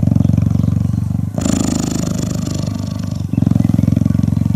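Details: Cheetah cuddling and purring: strong fast-pulsed low rumble, interrupted for about two seconds by a broad rustling noise, then the throbbing purr resumes.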